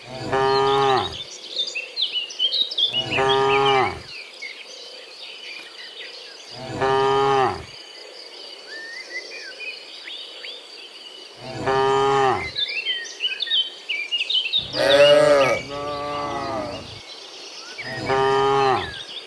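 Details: In the morning, cows returning from the field to the pen give long, deep, harmonic moos of about a second each, with birds chirping behind. Finding: Cow.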